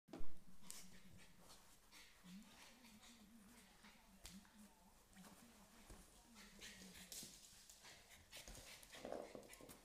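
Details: American Staffordshire Terrier puppy playing with a smaller, unafraid female Staffordshire Bull Terrier puppy, making low, wavering whines and grumbles with scattered thumps and scuffles.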